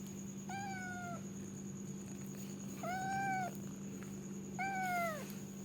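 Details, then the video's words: Domestic cat giving three drawn-out meows about two seconds apart, each holding steady then dropping at the end, over a constant low electrical hum and a faint high steady tone. "suara kucing mendengkur meow mrrp purr"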